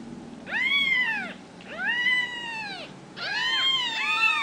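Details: Ragdoll kittens from a home cattery in central Kansas, raised without cages, give three drawn-out arched meows, each rising then falling with rich harmonics, separated by short pauses.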